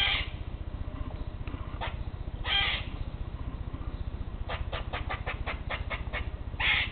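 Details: Eastern grey squirrels climbing separate trees near a porch, calling to each other in a territorial dispute: harsh screeching bursts at the start, middle and end, and a quick run of about eight short 'que' chucks, over a steady low rumble.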